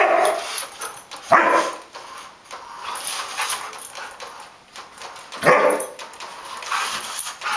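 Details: Samoyed dog chased by a remote-controlled armadillo, giving two sharp, short barks about four seconds apart amid steady hissing background noise.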